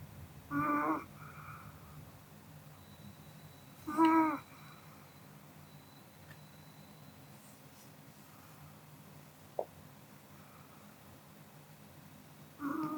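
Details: Pomeranian Kodama snores while asleep after eating, with three tonal, nasal snorts spaced several seconds apart, a faint click in the pause, and a quiet indoor room behind.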